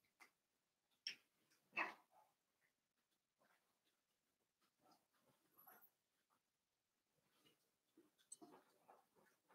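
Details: Litter of five blenheim Cavalier King Charles Spaniel puppies, born at New Year, in an indoor puppy pen. Irregular soft whimpers and squeaky yelps, with two louder cries near the start, scattered rustling between.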